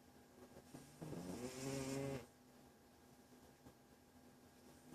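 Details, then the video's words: Domestic cat named Walter in a deep sleep, giving one snore: a throaty buzzing rasp of about a second with stacked tones that climb gently, framed by quiet low background hum. "Walter - The Snoring Cat"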